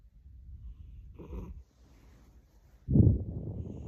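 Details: Snoring British Shorthair cat, tired, giving a low, raspy snore followed after a pause by a louder, deeper snorting breath.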